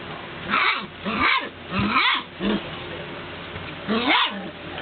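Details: Golden Retriever puppies calling to be let out, giving rough, noisy barks and yelps in bursts about every half second to second, with harsh, breathy texture and some low growly undertones.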